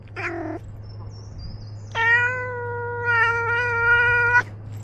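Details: Ros, a domestic cat wearing a body camera while roaming outdoors, gives a short meow, then after a pause a long, steady, harmonic-rich meow lasting over two seconds, with a constant low hum underneath.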